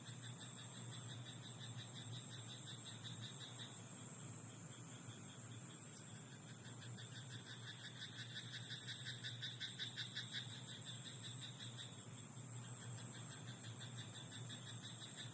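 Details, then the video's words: Night chorus of frogs in a rice paddy, with quick clicking pulse trains rising between about seven and twelve seconds against a steady high-pitched ringing background and faint low rumble. "田んぼのカエル "Croaking frog in rice paddy at night""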